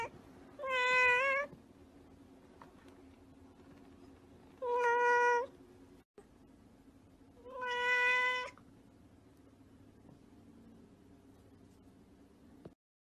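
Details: House cat repeating three similar meows about three and a half seconds apart, each brief and level in pitch, separated by quiet room noise.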